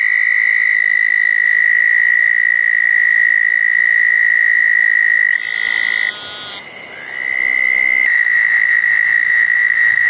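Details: Southern toad chorus at night after a June 2014 thunderstorm by two small ponds, eastern narrowmouth toads also about; constant high trilling, briefly overlaid around the middle by a higher, buzzy calling burst before the trill dominates again.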